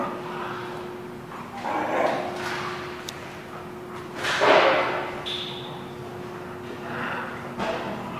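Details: Dogs barking at The Barking Lot on 27 January 2017: scattered loud broadband barks, several spaced seconds apart, with a distant bark in between, over a steady low mechanical hum and indoor background noise.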